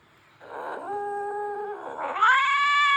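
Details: Aggressive, threatening cat caterwaul: a low, steady, moaning yowl that swells suddenly into a higher, louder wail near the end.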